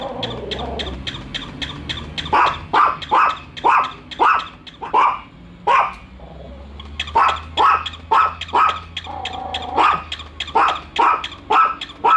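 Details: Pet dogs Bico and Faith barking at a toy dog during their first meeting; a soft whine then a long series of sharp barks with a quiet gap near the middle, low hum underneath.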